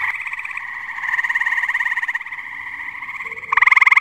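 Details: Tree frogs chorusing on a muggy night at a pond in New Jersey: dense, continuous trilling with a steady pulsed buzz, several callers overlapping, and a louder, sharper pulsed trill bursting in near the end.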